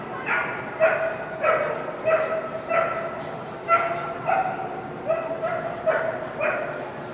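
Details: Toy Fox Terrier at the Brandon dog show, toy group final on day three. Sharp, high barks come in a steady run of about ten over seven seconds, each with bright stacked overtones, and a low hum of voices behind.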